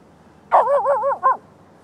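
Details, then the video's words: At night a Lhasa Apso barks at deer: a wavering, warbling bark with three quick up-and-down pulses in its pitch, ending in a brief clipped yap, over a soft background hiss. "lhasa apso barking at deer at night"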